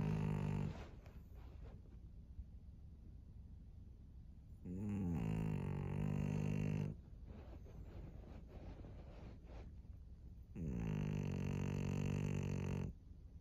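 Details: A thirteen-year-old fawn female pug in Japan, late at night; long rasping snores with a dense stack of harmonics last about two seconds each, separated by quieter breathing gaps of several seconds.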